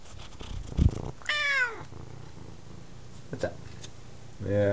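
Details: Female F2 Savannah cat, about 9 months old, talkative and seeking attention indoors: a short descending meow of under half a second among a woman's speech and handling noises, with another meow beginning at the end.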